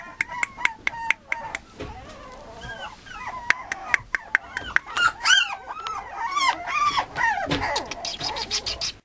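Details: Male Mame Shiba Inu puppy at a breeder's kennel, voicing high arching whines and short yelps that rise and fall, sparse at first among sharp taps, then crowding into a dense run of squeals toward the end.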